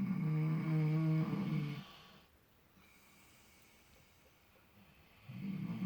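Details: Miniature potbellied pigs Clutch and Penelope asleep and dreaming in fresh straw, snoring in relaxation: a loud, low, harmonic rasping inhale for about two seconds, a quiet pause, then the next snore beginning.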